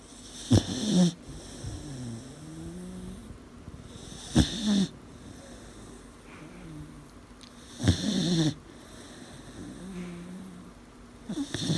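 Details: Eighteen-week-old puppy snoring in its sleep, heard every night: a sharp snorting inhale every three to four seconds, followed by soft whistling, wheezy exhales that rise and fall in pitch.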